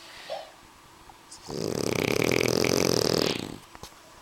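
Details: A French Bulldog snore from Suna and Annibal: one loud, buzzy, rattling inhalation lasting about two seconds, framed by quiet with faint small clicks.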